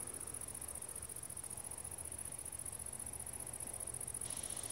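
A grasshopper keeps up a high, thin, sizzling buzz, steady and unbroken throughout.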